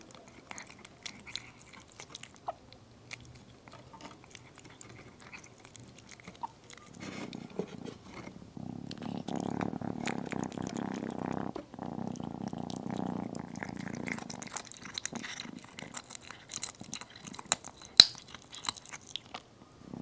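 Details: Tiny kitten eating chicken indoors: soft crunchy chewing and clicks at first, then a steady low rumbling purr lasting about seven seconds, followed by more chewing and one sharp click.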